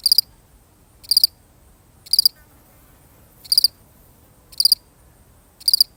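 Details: A single lonely cricket in a real recording, chirping in short pulsed bursts of three or four notes, repeated roughly once a second with occasional longer gaps, against a quiet background.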